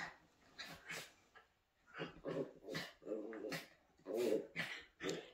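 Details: Poodle puppy at home growling and yapping in short bursts, several rough, noisy vocal bouts about half a second apart, with a person speaking nearby.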